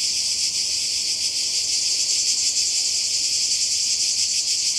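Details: Summer cicada chorus on the Croatian coast, 2020: a continuous piercing high drone with a quick shimmering pulse, constant in loudness from start to end.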